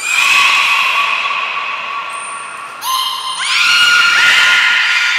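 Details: Training session of the belugas Taanya, Nana, Mirai and Niko at Port of Nagoya Public Aquarium, 11 July 2020. Loud, tonal calls rich in harmonics hold steady, break off, then return with a quick upward sweep into another sustained note. A brief high thin tone appears in between.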